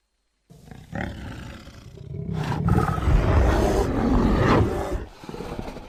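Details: Bear producing a low, rumbling growl that builds into a sustained, heavy roar lasting several seconds before easing off.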